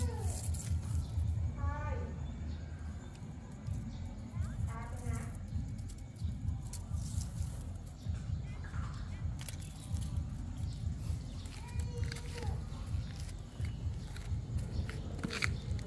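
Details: Cats giving short harmonic mews in small clusters near the start and middle, then a thinner lone mew later, set against continuous low rumbling background noise.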